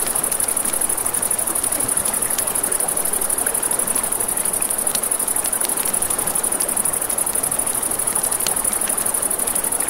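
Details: Night-time crickets by a river keep up a constant high, finely pulsed trill, while flowing water hisses beneath and frequent small snaps and pops of a crackling campfire break through.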